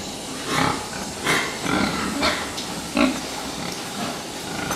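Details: Fattening pigs giving several short, rough grunts at irregular intervals, each a brief noisy burst over a steady background hiss.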